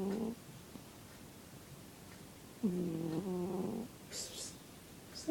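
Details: Zebbie the cat snoring, steady humming nasal tones about a second long separated by quiet pauses, followed by a brief higher hiss or rustle near the end.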